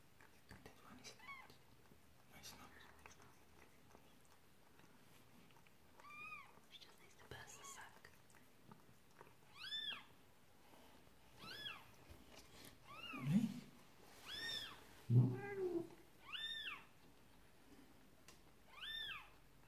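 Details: Persian cat Marley indoors while giving birth to her second kitten: high, thin arched mews repeated every one to two seconds, growing louder toward the end, with soft whispered speech and rustling in the background.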